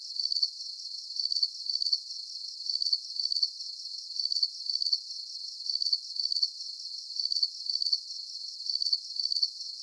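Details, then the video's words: Crickets chirping as a calming night-time sleep soundscape: high, pulsed trills in close pairs of bursts, repeating steadily about every second and a half, with a faint continuous hiss between bursts and no other sounds. "Calming Cricket Sounds"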